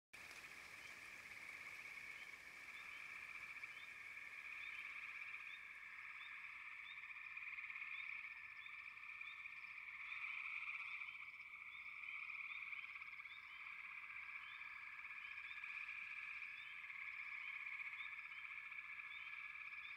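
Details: Frogs calling in a dense chorus: a steady, shrill trill holds throughout, with many short rising chirps repeated rapidly on top. It swells and fades slightly over twenty seconds, with no other clear sounds.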